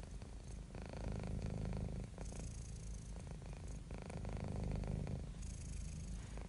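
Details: Relaxed, contented house cat giving a continuous low purr, its rumble alternating between stronger and softer breathing phases every second or two, recorded close in a quiet setting.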